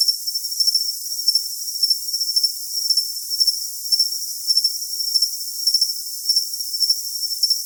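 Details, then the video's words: High, thin cricket chirps ride over an unbroken trill, recurring at about two bursts per second with loose timing. Only the insect is heard, with all lower pitches absent. "Cricket Sound for Tinnitus Masking"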